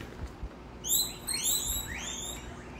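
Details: Herd of pet guinea pigs at Comfort Cavies at supper time, being fed vegetables: loud, high whistled wheeks that sweep upward in arching, overlapping squeals, several callers together, with soft rustling and thumps beneath.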